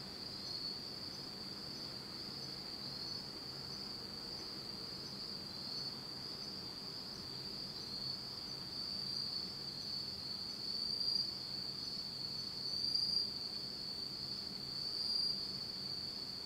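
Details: Autumn insects in Japan sing a steady, high, shimmering trill that carries on unbroken in total darkness at night.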